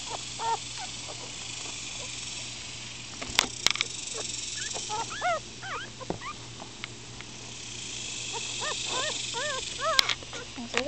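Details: Scattered squeaky cries from a litter of upset four-day-old Miniature Schnauzer puppies squirming about; thin arched whimpers come in loose clusters, with a few sharp clicks and a constant low hum beneath.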